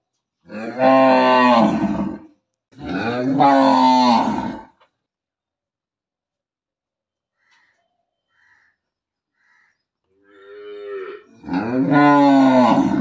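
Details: Large village cow mooing loudly in three drawn-out, wavering bellows, two close together at the start and one at the end after a long silence broken by faint distant calls.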